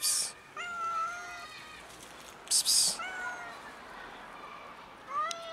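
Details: Frightened black kitten stuck in a tree gives long, level meows, some with a rising start, spaced a second or two apart, broken by a loud hissing burst of noise near the middle.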